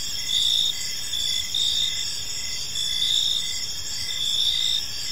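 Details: Crickets chirping in a peaceful park as evening unfolds: a steady shrill high-pitched trill with louder pulses swelling roughly every second, over a faint low hiss, with no other animals or people heard.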